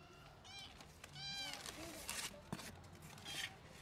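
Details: Recovered sick kitten, brought back to its twin brother, reacts on seeing its sibling again. Two quick, thin meows are followed by a human voice speaking softly and handling noise.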